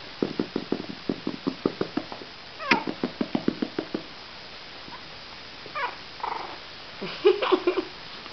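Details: Cavalier King Charles Spaniel puppies, 37 days old: a rapid run of short, high squeaky yelps, several per second, then scattered thin whines and squeals.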